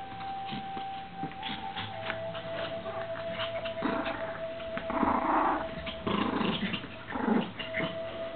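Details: Two dogs, a Pomeranian and a Lhasa Apso, playing frisbee indoors; low growls and short rough vocal bursts in the second half, over a steady background tone, with a woman coaxing them to give up the frisbee.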